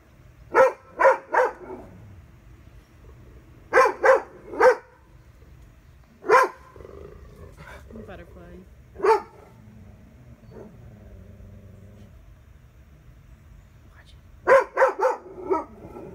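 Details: Leroy, a family dog on patrol, barks at a plastic butterfly: sharp, loud barks in quick bursts of two or three, about eleven in all over sixteen seconds, with quiet gaps and a person speaking softly in between.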